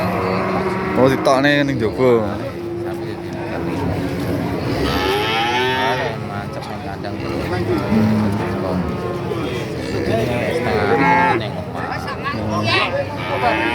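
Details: Cattle for sale at the Pasar Pahing cattle market in Nganjuk, East Java: repeated long, deep lowing moos from several animals, mixed with people talking and general market bustle.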